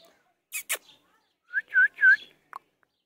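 A Golden Retriever puppy gives a few short, high, nasal whines after a couple of sharp clicks.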